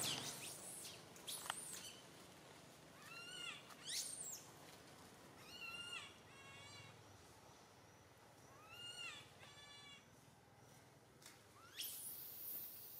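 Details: Young monkey Santo crying from a branch as his mother Sara fails to tend him; soft, rising-and-falling whimpers with stacked harmonics in scattered clusters, separated by quiet gaps, plus a few louder shrieks.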